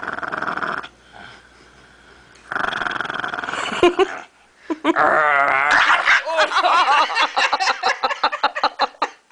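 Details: Frustrated over his bone being taken, the dog Lucky gives rough rumbling growls, then a wavering, whining snarl that breaks into a rapid series of short, choppy growl-pulses fading out.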